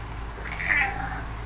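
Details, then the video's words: Pet house cat gives a single drawn-out meow, loud and tonal, swelling then fading, as its owner urges it in Hebrew to say "fridge"; steady low hum underneath. "the talking cat"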